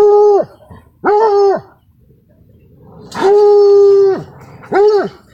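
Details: A Redbone Coonhound seeing a raccoon for the first time gives loud, drawn-out baying barks, each a mellow, steady-pitched bawl.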